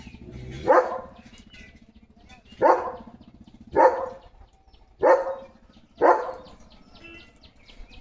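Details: Morning barking from Leo the German Shepherd: five single deep barks, roughly one to two seconds apart and fairly evenly spaced, with a low background hum and faint high chirps.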